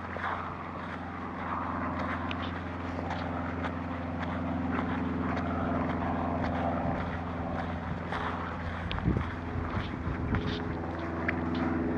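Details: A steady engine or propeller drone hums through a woodland walk, with faint rustling and no animal voice.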